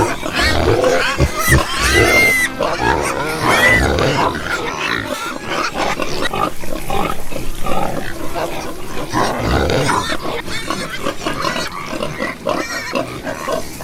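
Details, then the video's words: Pigs producing a steady stream of coarse, overlapping grunts and short shrill squeals, loud and crowded, with a brief quieter gap midway before the chorus resumes. "porco roncando"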